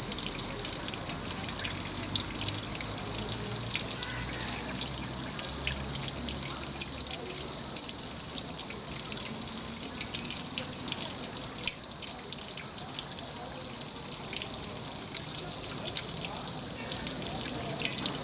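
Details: Cicadas singing under trees by a river with a running fountain, recorded on a Panasonic HC-X900: a steady, dense high buzz that never breaks, over soft trickling water and a low rumble.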